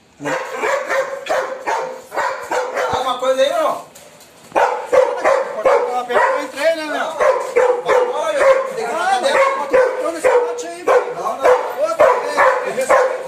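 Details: Adopted, once-fearful female Belgian Malinois barking during protection training on the day of her first bite. Rapid, harsh barks come in a dense series, with a short pause midway, while a man calls out encouragement over them.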